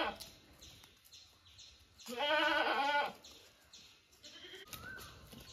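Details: One strong, wavering bleat from a domestic goat kept by its owners, about a second long, with fainter bleats and soft background murmur before and after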